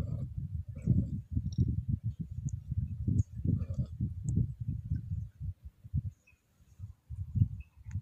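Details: Scottish Fold cat in heat moans low in the throat under light stroking: a rumbling, pulsed murmur that thins into scattered soft bursts after five seconds before swelling again.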